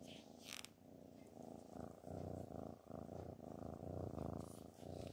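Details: Black cat purring while sitting on a sewing machine indoors; steady low rumbling purr with rhythmic pulses, continuous through the clip, with a brief rustle near the start.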